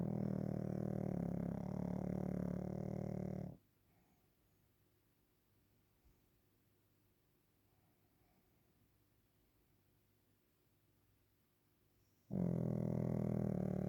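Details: Waffle, a Pekingese asleep at nap time, snores in long, low, raspy bursts: one rumbling snore, about nine seconds of near silence, then another snore begins.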